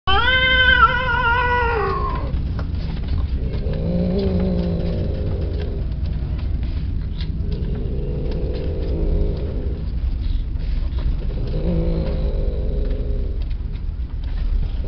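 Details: A peke-face Persian cat gives a bright, rising-then-falling meow, then a few lower, drawn-out mews over a steady engine hum.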